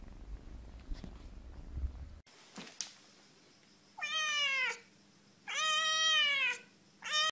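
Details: Three-week-old kitten meowing: after a noisy start and a click, loud drawn-out harmonic mews with a falling end, about every one and a half seconds, the last cut short.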